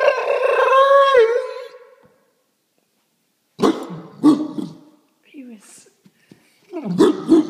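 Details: Domestic dog making weird vocal sounds indoors: a long wavering howl-like moan with rich harmonics for about two seconds, then silence, followed by short grumbling yelps and whines, with a person speaking nearby.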